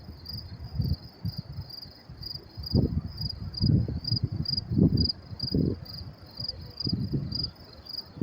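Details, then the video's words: Crickets calling at night in New York City, May 28, 2024: regular high chirp bursts about twice a second, partly masked by a man speaking in low tones throughout. "sound of crickets chirping"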